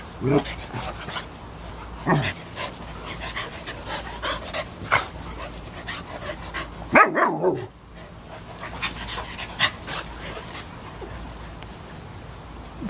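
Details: Kayu, a 3½-year-old American Eskimo Dog, circling Cooper, a 3-month-old German Shepherd puppy, during play; scattered short barks and huffs, with one louder harmonic bark midway, over panting and faint human speech.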